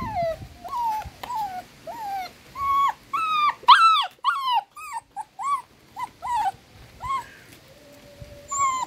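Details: A frightened little dachshund puppy nursing with its mother and littermates gives thin, bending whines, some rising then falling, in an uneven string about every half second, briefly louder and harsher in the middle, followed by a faint steady tone near the end.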